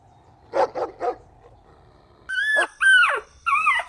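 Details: Puppies drinking milk on a green meadow give three quick barks in a row, then after a pause three high, drawn-out whining yelps that rise and bend downward.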